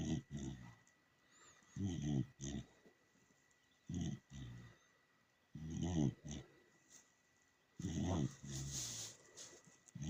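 A dachshund snores in low, rumbling bursts, each breath rasping roughly every two seconds.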